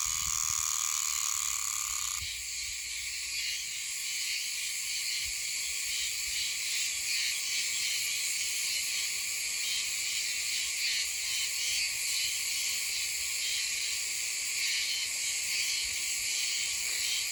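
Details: Meimuna oshimensis cicada song from green woodland north of Okinawa City, Okinawa, where the insects call high in trees in autumn. A continuous, shrill, harsh buzzing that shifts in tone after two seconds, then carries on steadily throughout.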